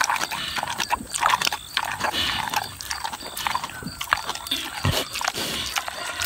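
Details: Boar pig aged six munching juicy tomatoes, with loud sloppy smacking and squelching, continuous and busy, with occasional deeper thuds from chewing.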